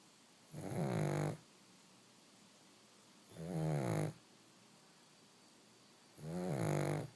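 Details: A pug puppy napping snores in slow, regular bursts, three rasping, rumbling breaths roughly every three seconds with quiet pauses between them.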